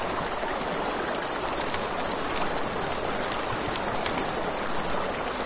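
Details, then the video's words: A nighttime riverside chorus of crickets, a continuous shrill pulsing trill held high above the steady hiss of a river, with scattered snaps and pops of a crackling campfire. "Campfire by the River at Night Ambience | 1 Hour of Crackling Fire, Crickets, Ambient Nature Sounds"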